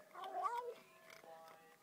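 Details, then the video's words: A cat, described as a wild cat that talks, gives one short wavering meow-like call lasting about half a second, rising then falling, over a faint steady tonal hum, with a person's voice coaxing nearby. "Talking cat"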